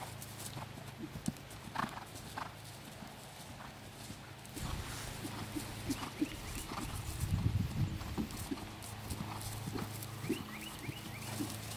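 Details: Young horse learning to jump, on its third cross-country schooling outing. Irregular clip-clop of hooves with sharp knocks and thuds over steady low wind rumble, a few short high chirps in the background.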